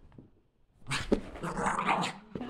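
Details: Playful female Border Terrier hopping side to side lets out one harsh, noisy growl lasting about a second after a quiet start, followed by a short scuffle.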